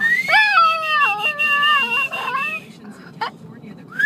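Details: A puppy named Archie reacting to a whistle with a drawn-out, quavering whine that steps downward in pitch over two seconds, under a sustained high whistle, then quieter rustling.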